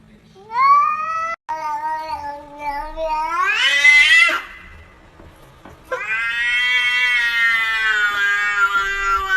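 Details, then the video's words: Domestic cats uttering loud, drawn-out meows and a caterwauling cry that rises sharply into a strained, harsh peak, followed by a long sustained wail. "Talking Cats Like Human"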